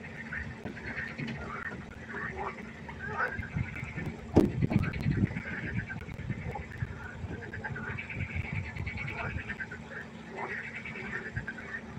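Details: Frog chorus at night by a pond: overlapping croaks with pulsed, rattling notes in a mid-high band, rising and falling in waves. A low rumbling background runs throughout, and a sharp knock breaks in around the middle.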